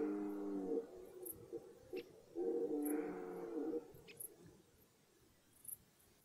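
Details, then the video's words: Red deer stag roaring in the forest at the start of the rut: two drawn-out, strongly harmonic bellows, the second louder and longer with a rough, groaning quality, separated by a pause with faint clicks. "Die Hirschbrunft beginnt"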